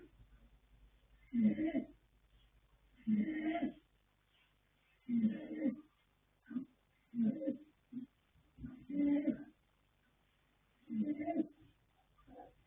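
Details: Asleep, the colt Yanta (born 21 January 2026; sire Fast Force, dam Pink Blossom) keeps up a raspy snore, six or seven grating breaths roughly every two seconds, some broken into short sputtering fragments, room otherwise quiet.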